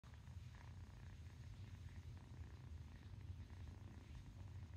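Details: A happy little kitten purring steadily, a soft continuous low rumble with a fine even pulse throughout, quiet and close, with faint room sounds.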